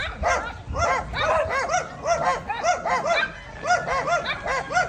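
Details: Belgian Malinois puppy Diango, four months old, out for an exercise walk, gives rapid high-pitched yaps, several per second in an almost continuous string, each a short arched bark, with faint background noise.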